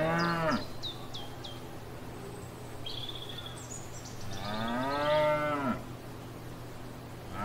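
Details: Grazing cows in a field: a moo cut off at the start, then one long lowing moo of nearly two seconds, with birds chirping in short repeated notes and a constant low hum.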